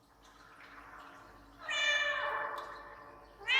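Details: Domestic cat appealing for something, with an echo effect added: faint murmuring, then one long, harmonic-rich meow that starts loud and slides downward over about a second, trailing into echo, with another meow just starting at the end.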